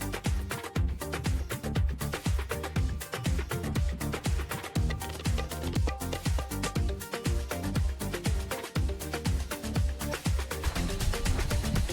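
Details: Only steady electronic dance music with a thumping beat is heard, with no animal sounds.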